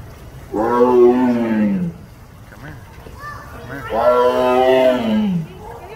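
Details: A zoo tiger gives two drawn-out, throaty roars that slide downward in pitch, about three seconds apart.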